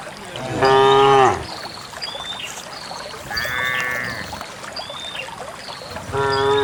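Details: A herd of dozens of cows heading for a green valley on a quiet countryside morning; a short moo at the start, a softer mooing call mid-way and another rising at the end, with small birds chirping throughout.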